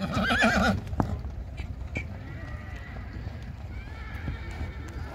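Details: Marwari mare, newly in riding training for the rewal chal gait at Pokhran, Jaisalmer, Rajasthan, India. Opens with a short wavering, quavering whinny lasting under a second, followed by scattered hoof clops, thuds and faint background voices.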